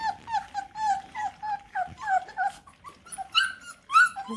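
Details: At feeding time, eight Bluetick Coonhound puppies search for dropped kibble, giving a steady run of short, high, nasal whimpers, about two per second, some sliding upward into sharper squeaks near the end, with a person speaking softly.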